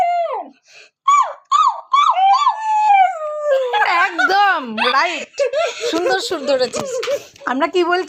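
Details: A Siberian Husky howls in wavering, sliding notes that rise and fall like drawn-out singing.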